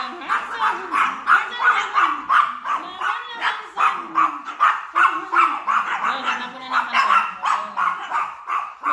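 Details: Angry, brave Chihuahua barking at Hansel, a bigger dog: rapid high yapping barks, nearly three per second, in an unbroken run with brief pauses; a lower voice-like sound murmurs underneath.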